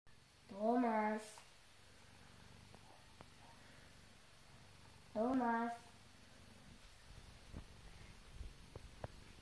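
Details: British Shorthair cat named Tom, a pet that likes hiding all day, gives two harmonic meows about four seconds apart, each drawn out and slightly rising then falling, in a quiet indoor room with faint ticks between.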